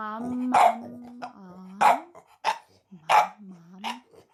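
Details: Eight-month-old French bulldog puppy barking: four sharp barks spread over four seconds, mixed with a person's sung, humming voice between them.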